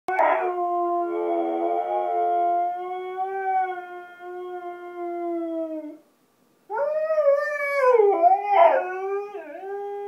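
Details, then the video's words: Siberian Husky, a pet dog, howling for its supper: a long steady harmonic howl sliding slowly downward for about six seconds, a brief silence, then wavering, bending howls rising and falling. "Husky howl"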